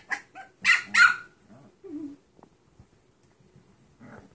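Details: Six-week-old Dachshund, Chihuahua and Pug mix puppies from one litter: a few sharp, high yelping barks close together in the first second, then a lower whine and faint soft squeaks trailing off.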